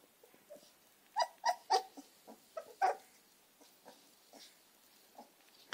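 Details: Two American Staffordshire Terrier puppies, Gina and Zeus, give short, high, whining yelps in quick bursts. Four sharp yips cluster near the start, then softer scattered whimpers follow against a quiet indoor background.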